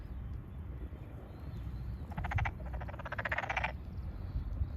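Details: Tokyo Daruma pond frog calling from a freshly flooded rice paddy in satoyama countryside, 8 May 2022. One rattling pulsed trill of about one and a half seconds rises out of steady low rumbling background noise.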